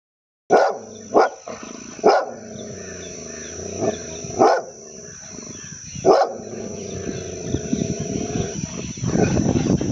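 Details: An angry Labrador Retriever gives sharp, deep barks at uneven intervals, with a steady high whine behind.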